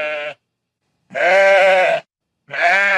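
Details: A farm sheep calls with strong, buzzy, tremulous bleats. A short tail is followed by a near one-second bleat and then another beginning, each separated by clean silence.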